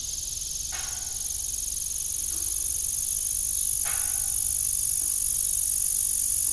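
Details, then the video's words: Crickets calling through the evening around an abandoned farm windmill, two high steady trills layered together, while the rusty blades give occasional dull knocks. "Evening Cricket Sound"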